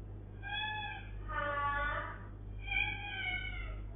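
A British Shorthair cat gives three drawn-out, harmonic meows, the middle one louder and wavering.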